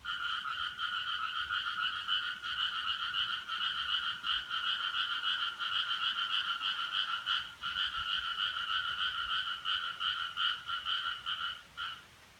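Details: Frog calling at 4:13 on Friday, 7 July 2017, described as an odd noise: a continuous, fast rattling trill with two steady pitch bands, pulsing without pause, briefly breaking near the end; no other sounds.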